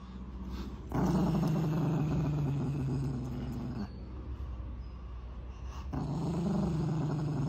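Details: Angry dog growling in a low, continuous rumble that swells, pauses briefly around four seconds, then resumes louder toward the end.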